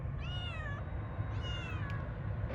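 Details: Cat outdoors, with people calling it in Kurdish and Turkish, gives two drawn-out harmonic meows, each falling slightly at the end, over steady low rumbling background noise.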